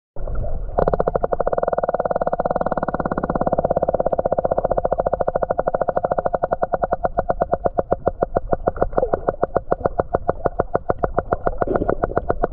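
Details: An underwater recording of a whale producing a steady train of rapid, sharp clicks, each pulse crisp and evenly spaced, possibly coda clicks.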